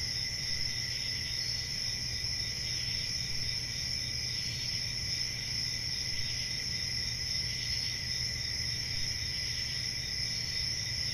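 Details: Summer night forest crickets sing in a continuous, even shimmer of high tones with no pauses, above a faint low background hum.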